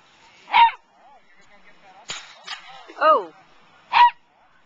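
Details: Dog named Voltaire working sheep at the 2009 Wags for Wishes event; sharp, loud barks at about 0.6, 3.1 and 4 seconds, with fainter yips and a human voice in between.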